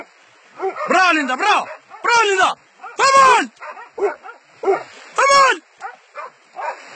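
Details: Dogs catching a wild boar: drawn-out arched yelps and whining cries with rich overtones, rising then falling, in spaced bursts mixed with a man's shouting.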